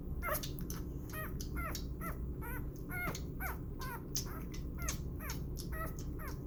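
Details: Six-day-old puppy Burro squeaks repeatedly while bottle feeding and burping, short high arched whimpers coming roughly twice a second, with sharp sucking clicks between them and a low background hum.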